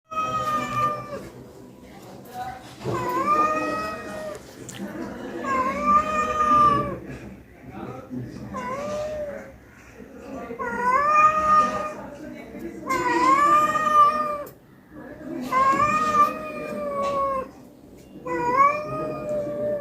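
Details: Domestic cat that has already been fed, meowing again indoors; six long, drawn-out, slightly wavering meows spaced irregularly across twenty seconds, with a person speaking softly and faint background music between calls.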